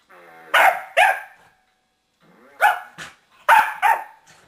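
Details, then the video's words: Household corgi Queenie barking at a remote control whoopie cushion hidden under the sofa cushion; two quick sharp barks, a short silence, then three more loud barks in close succession. "Corgi vs. remote control whoopie cushion part 2"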